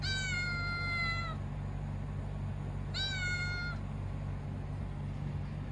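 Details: Two long, clear kitten meows from Kuro, each drawn out over a second with rich overtones and slightly falling pitch, spaced about two seconds apart above a low mechanical hum.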